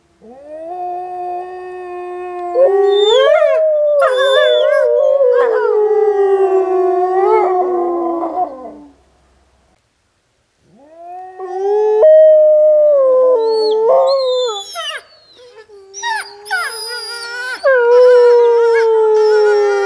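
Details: Wolves at Wolf Howl Animal Preserve howling on a snowy day while playing: long sustained howls, several voices overlapping, sliding and wavering, breaking into higher yips and whimpers, a pause of silence midway, then a renewed chorus.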